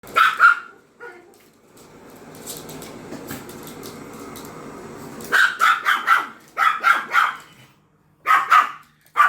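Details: Pomeranian barking at a vacuum cleaner indoors: a short burst of sharp, high yapping barks, then several seconds of steady droning machine noise, followed by rapid clusters of two to four yaps.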